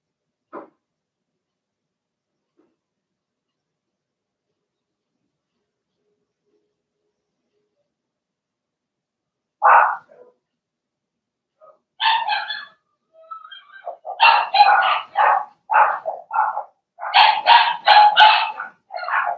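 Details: Indoor puppy pen with six Blenheim Cavalier King Charles Spaniel puppies, potty training underway; mostly quiet at first, then a rapid run of high yips and barks building over the last eight seconds.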